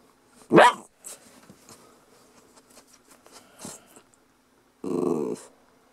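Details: Lhasa Apso puppy indoors gives one sharp short bark, then after quiet shuffling a brief low, rough growling grumble, while a person asks if it is all right.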